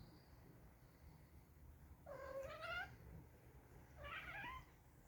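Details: Two domestic cats, brothers Nero and Dale, squabble over a bed indoors as Nero tries to push Dale out; two drawn-out whiny yowls, the first rising then falling, the second shorter and higher, over a low background hum.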